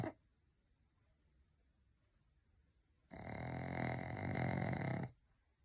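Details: Pug snoring in one rough, grunting rumble of about two seconds, gravelly and burp-like, after a quiet stretch.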